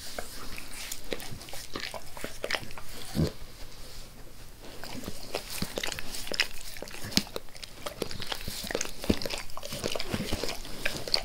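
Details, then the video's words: Pet dog Max licks his owner's face, with soft moist smacks and slurps scattered unevenly, a brief lull near the middle before the quick tongue clicks pick up again. "Max Licks | Face Part Tres | ASMR DOG LICKING"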